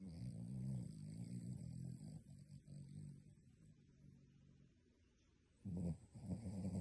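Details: A dog sleeping and snoring like a human, a long low grumbling snore fading over several seconds, then a sudden louder rasping snore in the final second.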